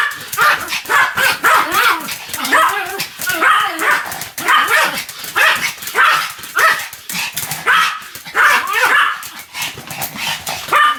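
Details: Continuous barking by a Pomeranian called Sam: shrill yaps fired in rapid clusters, each with a rising-falling pitch, packed closely for the whole stretch with brief pauses between bursts.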